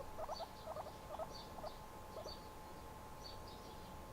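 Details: Guinea pig kept as a pet, chilling indoors, makes four quick groups of short squeaky chirps in the first two seconds, then a fainter pair, over a constant background hum.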